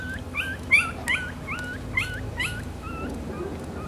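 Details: Black-and-silver Miniature Schnauzer puppies born on May 18 give high, thin whines that rise and fall, squeaky yelps coming several times a second for about four seconds over a faint steady background hum.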